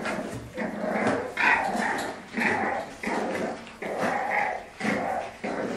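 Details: French Bulldog play fighting, giving repeated gruff growl bursts about once a second, each a rough harmonic rumble rising and falling, with brief pauses between them.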